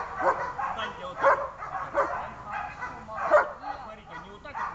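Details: A German Shepherd at its first protection training session gives loud, sharp barks at uneven intervals, with a person speaking in the background.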